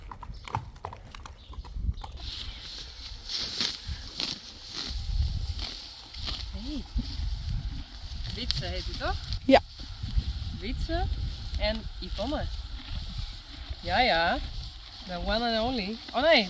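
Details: Friesian horse whinnying: wavering, quivering neighs with a trembling pitch, loudest near the end. Hoof clip-clop and people talking are heard throughout.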